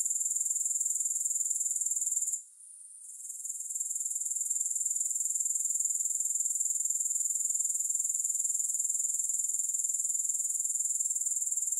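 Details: High, dense insect trill from grasshoppers, pulsing about four times a second, with one short dip in loudness early on before it resumes evenly to the end; no other sounds.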